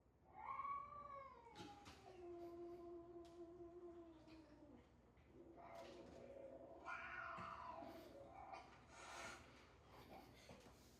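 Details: Domestic cat sound played to house cats: a long, drawn-out wailing meow that starts high, slides downward and holds a low, steady tone for about four seconds, followed by shorter, rougher yowling notes.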